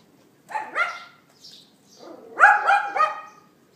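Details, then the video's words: A neighbour's dog yapping, recorded by iPhone 4S at 11:31 AM on April 18, 2012: a pair of sharp yaps, a short pause with faint noises, then a louder run of three rapid barks. "Dog Yapping"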